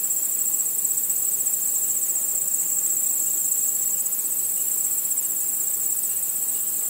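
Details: Nighttime crickets in a starlit outdoor setting, producing a continuous shrill, finely pulsed trill at a steady level throughout, alongside soft background hiss and no other distinct sounds.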